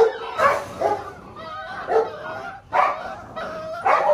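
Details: Belgian Malinois puppies at six weeks old, from the Lorockmor Mensa X Pixel litter, calling in short high yips and whimpers roughly every second, with a drawn-out whine between and a possible human voice.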